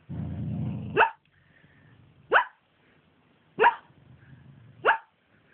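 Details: Teasel, a pet dog dreaming during a mid-day nap, lets out four squeaky, muffled barks spaced a little over a second apart, each a short rising yelp, with soft breathing between.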